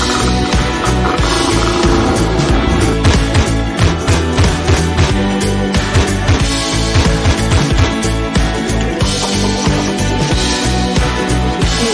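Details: Loud, dense music with a steady driving beat and layered instruments throughout; no animal voices stand out.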